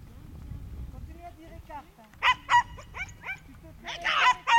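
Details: During a September 2010 herding course, a young Schipperke lets out a burst of high, sharp barks in quick succession after a stretch of murmuring voices and low noise.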